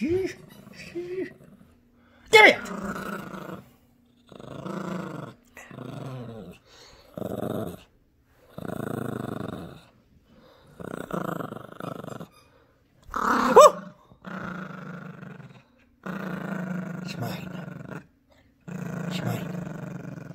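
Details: Gracie, a protective Yorkshire Terrier puppy, growls through an indoor tug-of-war over a brand new squeaky toy; repeated rumbling growl bursts of one to two seconds with short gaps, punctuated by sharp toy squeaks.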